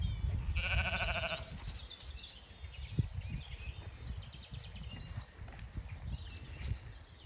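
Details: A pregnant Zwartbles ewe in a field on a regenerative farm in County Kilkenny, Ireland, during late lambing, possibly about to lamb. One short, wavering, harmonic bleat comes near the start, followed by steady wind noise and rustling.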